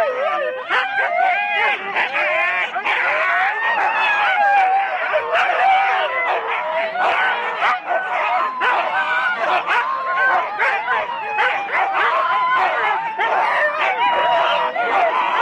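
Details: Several 4-dog Husky sled teams waiting at the start, Rendlesham, January 2016. A continuous wall of overlapping barks, yips and rising yelps from many dogs, steady and loud throughout.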